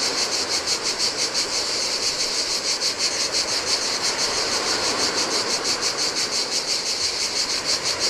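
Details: On a desolate Greek island beach by the Adriatic, cicadas sing in the heat: a continuous shrill, pulsing drone, about three beats a second, steady throughout, with faint waves washing on sand.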